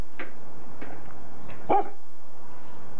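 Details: Five-month-old Pit Bull puppy at play, recorded in 1999: a few soft, short yips early on, then one brief, sharper bark-like yelp near the middle, with quiet around it.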